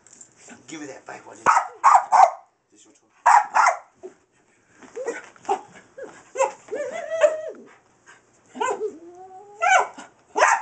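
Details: Pet dog Skillet, a Boston bull and wiener mix, excited by a laser light: clipped barks and yips, drawn-out whining squeals with wavering pitch, and a person talking between them.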